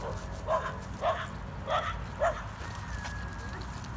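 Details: Playtime between a Corgi, Nessi, and a Chihuahua mix, Miles: four short barks at irregular gaps, followed by a thin steady whine-like tone and a quiet low background.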